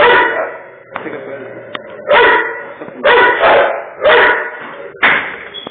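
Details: A pit bull barks in harsh, loud bursts, roughly one per second with uneven gaps, standing his ground while going nuts at a Doberman.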